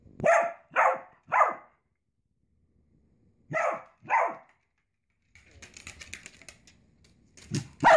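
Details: Dachshund, a sausage dog kept as a pet indoors, gives short sharp barks: three in quick succession, a pause, then two more, followed by soft rustling and scratching noises.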